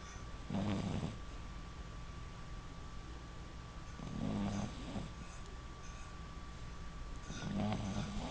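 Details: A 6-month-old female Boston Terrier puppy sleeps with her eyes half open and her tongue out, snoring in low, rattling bursts spaced about three seconds apart.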